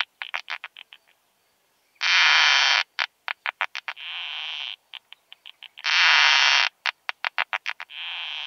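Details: Song of the keeled plump bush-cricket (Isophya costata) on Austrian meadows in early June 2020, recorded with an ultrasound detector: clusters of rapid pulses, loud second-long buzzes and quieter hissing trains repeating in a regular cycle about every four seconds.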